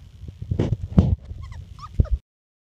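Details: Labrador Retriever puppies from a litter, four and a half weeks old: short high whimpers and squeaky rising-falling whines cluster near the end, mixed with rustling and soft thumps from the litter.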